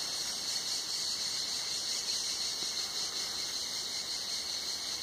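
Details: Cicadas at Tenuta Zimarino on a hot summer day, heard under a mulberry pergola, producing an unbroken, very high, hissing buzz with gentle, uneven throbbing throughout.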